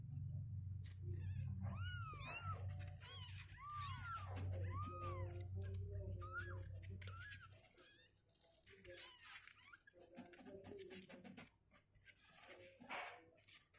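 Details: Several two-week-old kittens, their legs growing stronger and unwilling to stay in their box, give a run of high arched meows in the first half, then softer scattered squeaks over a steady low hum and rustling.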